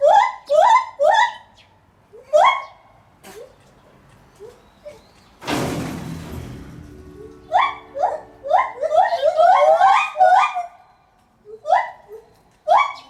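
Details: White-handed gibbon at Maruyama Zoo, Sapporo, recorded 11 July 2020: loud hooting calls rising and falling in quick series, several bursts of rapid repeated notes, broken by a loud thud of banging near six seconds.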